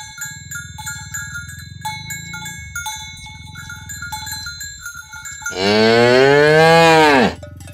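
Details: Morning herding of dozens of tame cows across green grassland to the pen: cowbells clink over a low rumble of moving hooves before a single loud, sustained, arching moo lasting nearly two seconds.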